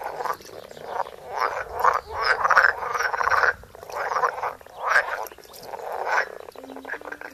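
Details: Close-up recording of frogs croaking: rough, pulsed croaks in swelling bursts roughly once a second, some longer rattling phrases, with a faint low hum in the background.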